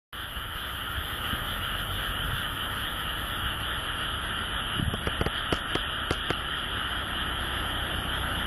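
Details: Frogs singing in the countryside of Japan: a dense, unbroken chorus of continuous trilling in two steady high bands, with a quick run of sharp clicks midway and a low rumble underneath.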